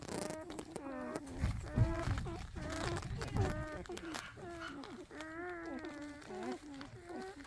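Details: Seven newborn Dachshund puppies, eyes not yet open, orphaned and hand-fed on their first day without their mother; short wavering whimpers follow one another several times a second, rising and falling, with a few soft low thumps.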